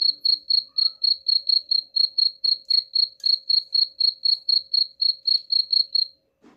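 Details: Cricket sound for repelling rats, with shrill pulsed chirps repeating about four times each second for six seconds, then stopping abruptly before a brief soft noise.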